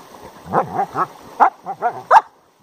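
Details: Two Siberian huskies, a red 3-year-old dog and a grey and white 7-month-old puppy, arguing over a dug hole: a series of short, bouncing, rising-and-falling grumbles and yips, about six in two seconds.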